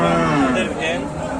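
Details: Dairy cow offered for sale, said to give 10 litres of milk, lowing loudly in one long moo that starts steady and slides lower, then levels off, under a constant background hum.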